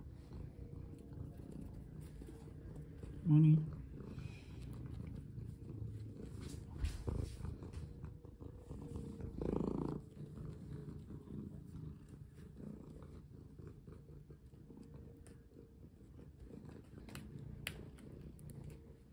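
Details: House cat purring during play as a person rests a hand on its paw; a low, even purr continues, interrupted by a sharp knock and a short burst of handling noise and quiet talk.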